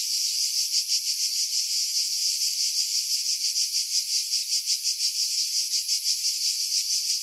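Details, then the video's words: Cicadas in pine woodland at Pefkos Bay, Skiros, Greece, during July; loud, shimmering high drone beating in quick pulses around three a second, steady and without pause, no birds or voices. "Cicada Sounds, July 2018 Skiros, Greece"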